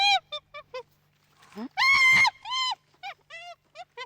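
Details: Chimpanzee calling in a children's animal-sound quiz: a run of short rising hoots, then loud harsh drawn-out screams and barks, ending with more brief hoots.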